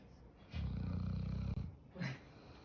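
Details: Sleeping Akita snoring loudly: one long, deep, rumbling snore with a buzzy, harmonic texture lasting about a second, then a shorter, softer snort-like breath, in a quiet room.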